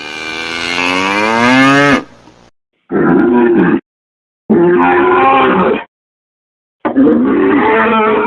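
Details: Cattle calling: one long, loud, rising bellow, followed by three rougher, raspier moos of about a second each, separated by silences.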